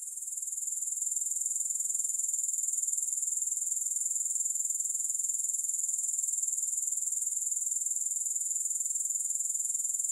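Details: High, thin insect chorus from grasshoppers that fades in over the first second, then holds a constant pulsing buzz of about four beats per second.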